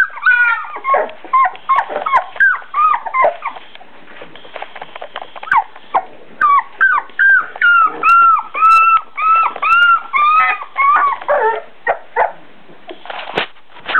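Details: Beagle puppies four weeks old whimper and yip over and over, thin arched squeals coming in quick bursts of several per second with brief pauses, growing steadier and more regular toward the middle before a few final squeaks.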